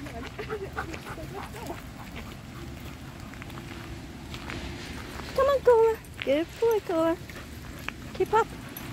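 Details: Taiwan Dog playing crazily with friends during a walk: a burst of high, nasal, whining yelps and squeals clustered over two seconds, one more near the end, amid people's voices urging the dogs on.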